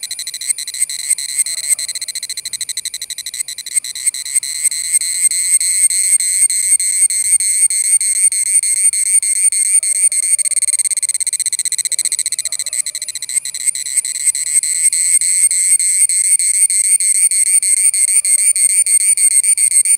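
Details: An Indian cicada gives a loud, shrill, pulsing buzz that carries on without a break.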